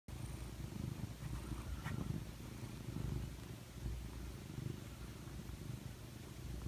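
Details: Domestic cat named Bocelli curled up in an owner's arm while snuggling, purring steadily: a low, continuous rumble with pulsing texture throughout, plus a faint brief rustle near the two-second mark.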